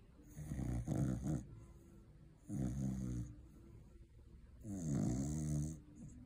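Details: A Cocker Spaniel snores loudly after a long day of eating Christmas turkey, in deep, rumbling rasps, each breath lasting about a second.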